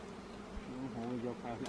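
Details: Wild honey bees found by a professional honey hunter in Cambodia, giving a steady low droning buzz with wavering tonal bands that swells slightly midway, with a faint human voice near the start.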